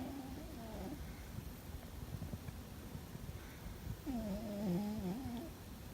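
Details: Fuzzy the cat snoring loudly in his sleep: one drawn-out, humming, harmonic snore with a wavering pitch, plus the tail of another at the start, over a low background rumble.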